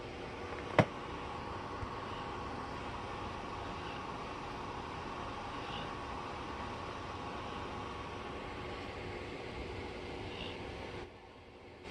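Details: Steady broadband rumbling noise, like traffic or a running fan, continues throughout, with one sharp click near the start and no animal sounds.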